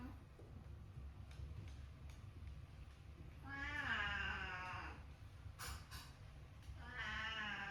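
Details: Domestic cat with a meow described as very uncool, giving two nasal, wavering meows a few seconds apart, the first longer and bending down in pitch, over steady low background rumble.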